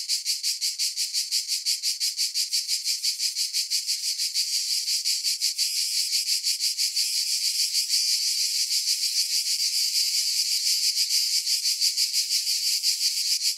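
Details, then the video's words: Cicadas in a dense chorus of high-pitched, hissing buzz, throbbing in quick pulses about three times per second and swelling slightly louder in the second half; no other sounds. "Relaxing Cicada Sounds"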